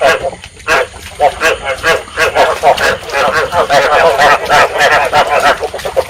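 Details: Rice field frogs in Vietnam give breeding calls, used as a lure sound for trapping frogs: a dense chorus of short, harmonic, croaking notes repeated rapidly and overlapping throughout, with faint background noise.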